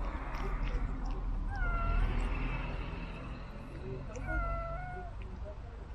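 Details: Pet cat fed treats delivered by an RC car: two clear meows, each a bright tone bending up then gently falling, about two and a half seconds apart, above a low constant hum.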